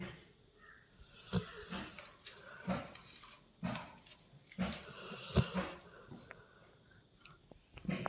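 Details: Sleeping Labrador Retriever snoring: rough, wheezy breaths with a low rumbling core, repeated roughly once a second, each a short noisy burst with quieter gaps between.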